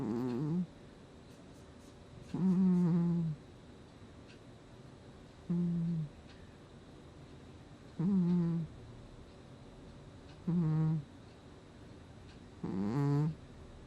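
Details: Gnusmas the house cat snoring in its sleep, August 2020: six low, nasal, tonal snores, each half a second to a second long, recurring roughly every two to three seconds, with quiet pauses between.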